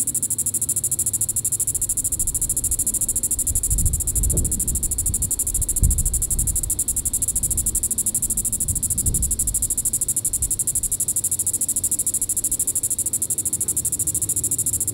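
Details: In Sand Hills State Park, Kansas, on the evening of July 20, 2014, a Diceroprocta vitripennis cicada gives a continuous high sizzling buzz with rapid even pulsing, while gusts of low wind noise swell midway.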